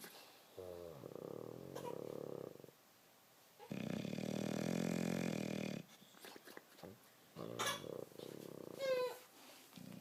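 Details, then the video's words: Sleeping bulldog snoring at home, giving several rough, buzzing snore breaths of one to two seconds, broken by short snorts, sniffles and quieter gaps. "Snoring Bulldog"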